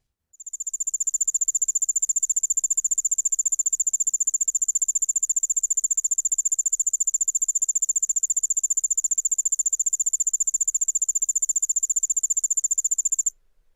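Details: Male Allard's ground cricket (Allonemobius allardi) typical song and songs given as males interact: a high, steady trill of rapid, evenly spaced pulses.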